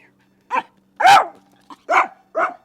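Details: Mixed-breed dog barking reactively at another dog during a reactivity training session: five sharp, short barks spaced roughly half a second apart, one longer and louder than the rest, with quiet between them.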